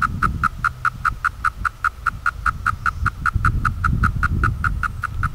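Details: Periodical cicadas, 2016 brood V, 17-year cycle, in Cleveland, Ohio: a steady train of short buzzy pulses about two and a half per second, evenly spaced, with low rumbling background noise.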